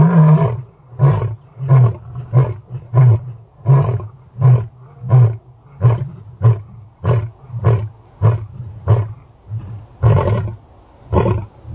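A lion gives a run of deep, throaty grunting roars, one about every two-thirds of a second.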